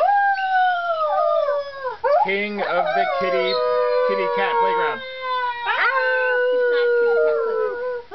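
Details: A baby Arctic wolf cub, only a few weeks old, sits on a cat tree howling in high, wavering, slowly falling notes broken by short yelping breaks.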